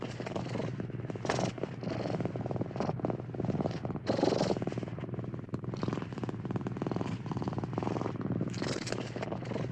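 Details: Steady cat purr, a dense low vibrating rumble of fast regular pulses that rises and falls in breath-long waves and grows slightly louder near the middle. No other sounds stand out.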